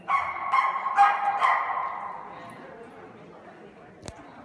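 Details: Kooikerhondje, a Dutch duck-luring hunting dog breed, giving four sharp barks about half a second apart, then a fading tail of reverberant room noise and a single click near the end.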